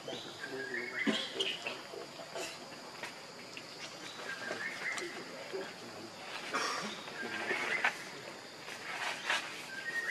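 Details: Baby monkey Leo, very hungry, cries for milk from its mother: a run of thin, wavering whimpers and squeals, some rising, some falling, scattered through a hissing outdoor background with faint knocks.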